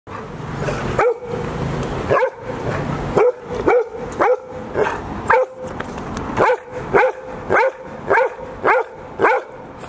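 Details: Golden Retriever barks at Hiro's 14th birthday celebration on 2 June 2019 in Ain village; Hiro is the puppies' great-grandmother. Clear, arched, fairly high barks come in a loose series, roughly one every half second to a second, with faint background voices.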